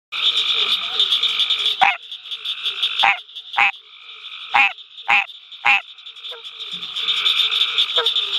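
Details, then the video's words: American green tree frog calling at night at the University of Mississippi Field Station: loud, abrupt nasal honks at irregular intervals, about six in eight seconds, over a continuous high-pitched chorus of other frogs. "Hyla cinerea calling"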